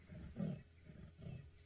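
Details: A male leopard walking toward open savanna, with monkeys and impalas alarm-calling at him, gives a sawing call: deep, rasping grunts like a saw drawn back and forth through wood.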